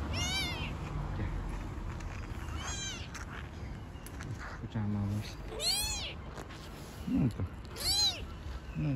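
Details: Newborn kittens and their mother, strays on the street, mewing repeatedly in short rising-then-falling cries while a woman speaks gently in Turkish nearby, over a low background hum.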